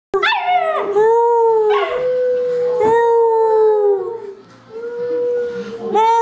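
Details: A Cocker Spaniel puppy sings along, howling in long, wavering, tuneful notes that slide and rise.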